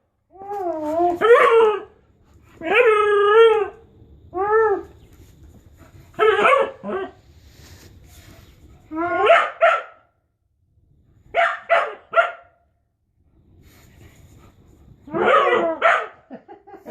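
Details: Pet dog in June 2015 producing a series of yodel-like howls and whining vocalizations, each lasting about a second, with wavering, bending pitch and gaps of silence between bursts.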